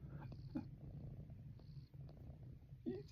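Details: Female cat purring while being rubbed in a person's lap: a steady low rumbling throb runs through the clip, with brief soft vocal sounds near the start and end.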